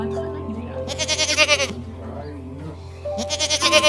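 A goat gives two shaky, wavering bleats about two seconds apart, each under a second long, over steady background music.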